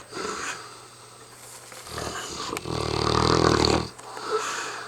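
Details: Very tired mastiff Hamish snoring: quiet breaths, then one long, loud, vibrating snore of over a second with a buzzy rattle, followed by a short exhale, over a faint hum.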